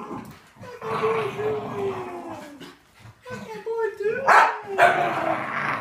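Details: Jealous female Miniature Schnauzer reacting indoors to a visiting beagle-boxer mix: a drawn-out descending whine, then a second rising whine that breaks into a sharp bark, with rustling noise around it.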